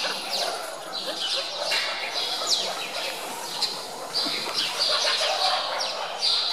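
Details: Several hungry meerkats in Zoo Augsburg squabble over chicks at feeding time, snatching food from each other, giving rapid high-pitched chirps and short downward squeaks that overlap in a busy, continuous chatter.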